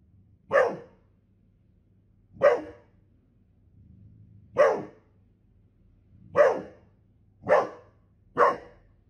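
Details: A Golden Retriever barks six times, loud and abrupt, at uneven intervals of one to two seconds over a quiet low hum.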